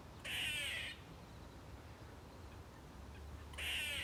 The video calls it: a squirrel making a weird screeching noise